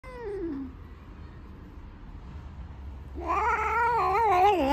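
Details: Loud black domestic cat giving long drawn-out meows: a falling cry, a pause, then a louder wavering yowl that rises and bends up and down for over a second, with a low steady hum in the room.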